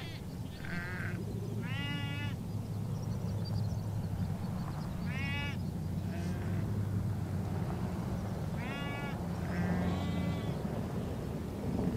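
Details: A flock of sheep, with goats, bleats in short, wavering, nasal calls over a steady low wind rumble as a herder drives them on the steppe at Bayandelger, Tuv province, Mongolia.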